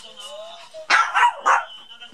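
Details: Maltese dog fighting a duck toy, a faint tonal squeak first, then three rapid, loud yaps in quick succession within about half a second.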